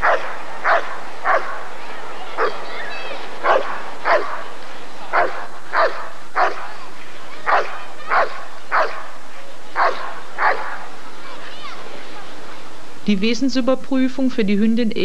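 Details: Rottweiler barking repeatedly during the 1994 ADRK breed survey. Rhythmic, punchy barks sound about every half to one second. Near the end they give way to a wavering, higher-pitched whining or voice sound.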